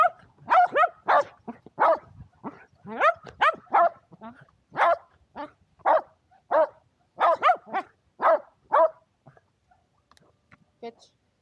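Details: Excited barking from two shelties, Power and Beat, at frisbee play outdoors in sunshine, February 2022; a steady run of loud, sharp barks roughly every half second that thins out and stops near the end.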